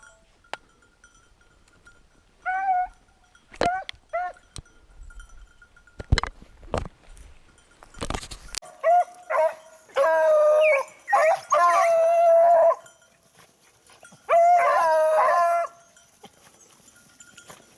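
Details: Beagle hunting a lost hare on 19 October 2022: scattered yelps and sharp knocks first, then long, sustained wavering bays in several drawn-out bursts, with bell-like ringing in the background.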